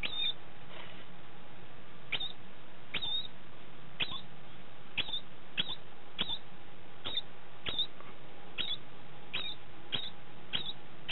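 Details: Tim, a male pet degu, just after mating, gives a quick series of brief rising chirps, about fifteen in eleven seconds, each ending in a high squeak, with a low steady background hum.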